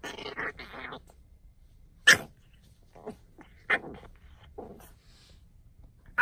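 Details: Playful French Bulldog in a goofy mood, uttering a rough growl at the start followed by scattered sharp barks and snorty yips at irregular intervals.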